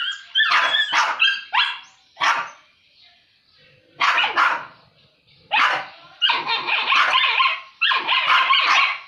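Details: Two dogs that usually get along, fighting over food; short explosive barks and snarls in clusters, with a lull of near silence mid-way before sustained rough snarling resumes.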